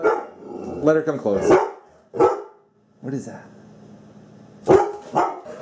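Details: A Labrador Retriever, goofing around in the kitchen, gives short, gruff barks in bursts, trying to act tough though really a scaredy dog, apparently afraid of an object, with people talking.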